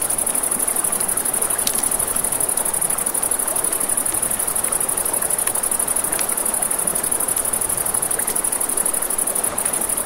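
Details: Crickets trilling steadily at night near a river, a thin high continuous buzz of rapid pulses, accompanied by the rush of water and occasional bright crackles from burning wood.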